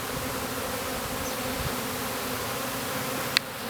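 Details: Swarming honey bees entering a hive in a backyard: a steady, dense humming drone throughout, with a single sharp click near the end.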